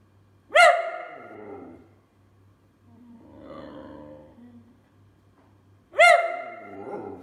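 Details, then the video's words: Whippet whining and complaining: two sharp, high yelping whines about five seconds apart, each starting bright and sliding quickly downward into a fading moan, with a softer, breathy grumble between them. "Whippet Whining, Complaining, Barking and Talking"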